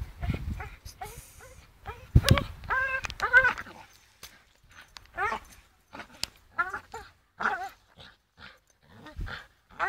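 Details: A Staffordshire Bull Terrier named Charlie hangs and swings on a rope, letting out bursts of wavering, nasal whines in clusters, separated by quiet gaps and a few knocks.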